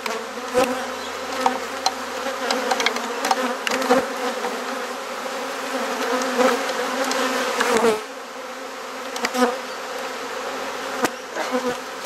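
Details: Continuous low buzzing from a honey bee colony, opened for inspection and frame swapping in a Perth garden, Australia. Many sharp clicks and knocks from the frames are handled over the drone, which drops slightly in loudness about two-thirds through.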